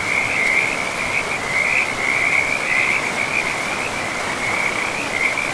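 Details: Frogs at a forest river produce an almost unbroken high trilling chorus, pulsing in loudness throughout, standing clearly above softer flowing-water hiss.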